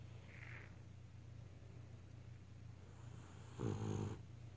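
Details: Sleeping beagle snoring indoors: after a steady low hum, a single loud, rough snore near the end, a pulsing low rumble lasting about half a second, then quiet again.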